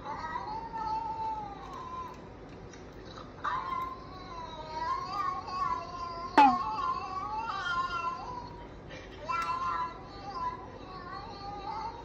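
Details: Siamese-mix cat making drawn-out, wavering meows that rise and fall like chatter, in several long phrases separated by short pauses, with one sharp click midway; an angry cat that suddenly started talking.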